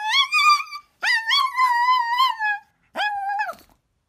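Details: Costumed Chihuahua whimpering: three drawn-out, whiny, tonal cries, the first two long and wavering, the last shorter and falling, separated by brief silences.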